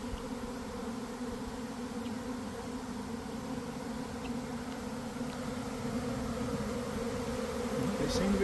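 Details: Honey bee swarm surrounding the recordist near a garden hive, early afternoon after cold, damp weather: a steady, deep buzzing drone that slowly grows louder toward the end.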